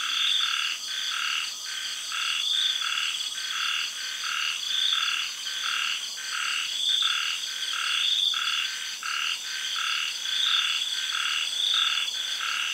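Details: Night chorus of frogs in a Thai tropical garden during early rains. Rhythmic, evenly spaced croaks in quick succession sit beneath a continuous high-pitched buzzing of cicadas and insects.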